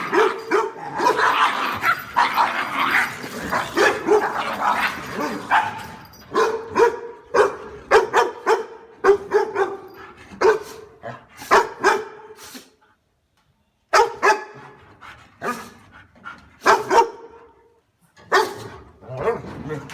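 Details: A dog barks repeatedly over twenty seconds: a noisy, crowded opening, then clearer separate barks in uneven runs, broken by a brief silence.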